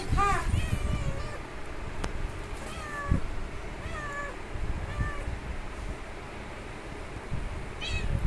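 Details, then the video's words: Kitten meowing for its mother after the mother cat left it alone: a loud meow at the start, then several fainter drawn-out cries and another meow at the end, over low rumbling noise and occasional knocks. "Baby kitten meowing very loudly for mom that her mom took her away."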